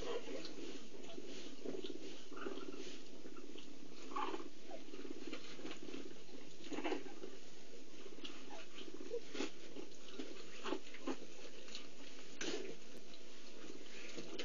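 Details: Female cheetah at an endangered species centre grooming and nursing her four one-week-old cubs; a soft, steady low purring runs beneath faint rustling and shuffling from the cubs as they settle to feed.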